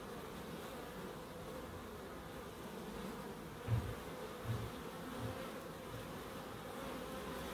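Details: Bees in a small wildlife garden in Crookes make a steady, droning hum with an even low-mid tone throughout, broken by a few soft low thumps near the middle.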